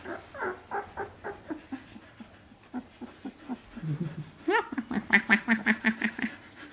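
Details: Samoyed puppies aged 17 days squeal and whimper steadily, short nasal yelps repeating about three times per second, building into a louder, higher run of piercing squeaks toward the end.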